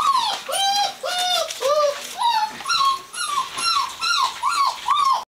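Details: Plaintive whining from Gordon Setters at the Natolińskie Wzgórza breeding kennel: a regular series of drawn, arching whines with a lower voice under a higher one, repeating about twice a second before ending abruptly.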